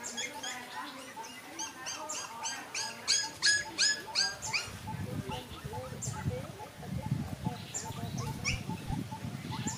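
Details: High, repeated whimpers and yelps from a litter of five puppies fill the first half, then fade under low rumbling handling noise and soft murmuring, with a few scattered squeaks continuing.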